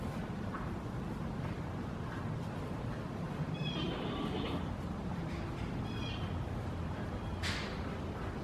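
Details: Bei Bei, a giant panda at Smithsonian's National Zoo, vocalizing as he walks through his yard in December 2017; several brief high bleats and squeaky notes over a steady low background roar.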